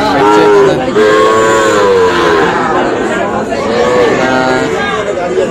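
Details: Sahiwal breed bull calves at the Ambari haat, Tangail, Bangladesh, on Friday 25 August. Several short arching moos, one near the start and another around four seconds, rise over steady crowd talk and market noise.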